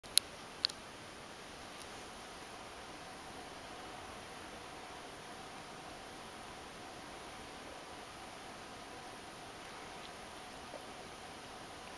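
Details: Quiet indoor room hiss with faint rustling and a few sharp clicks near the start, no animal voice.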